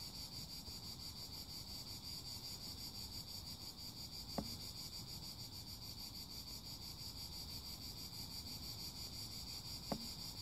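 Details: Cicadas keep up a steady, shimmering high buzz with a fast, even pulse over a low rumbling background, broken by two sharp clicks.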